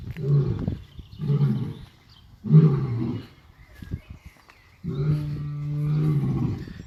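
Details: Male lion at a wildlife park, roaring while lying down on a hot day: a series of deep, loud grunting roars, each about a second long, repeated at roughly one-second gaps, ending in a longer drawn-out roar.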